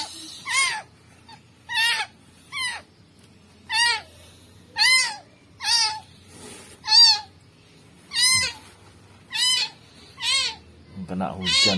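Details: Steady distress meowing from a rescued newborn kitten, found dumped in rubbish with maggots: about ten piercing, arched cries roughly one per second, with faint voices and handling noise near the end.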